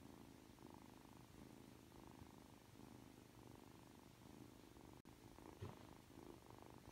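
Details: Aki, a three-month-old Ragdoll kitten, purrs while being affectionate just after waking up. The low, steady rumble swells and fades with each breath, about once every second, with a soft click near the end.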